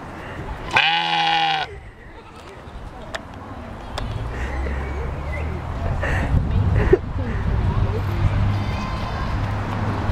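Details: At Portland zoo in 2009, a sheep gives one harsh, retching bleat lasting about a second that sounds like barfing, followed by a low background murmur.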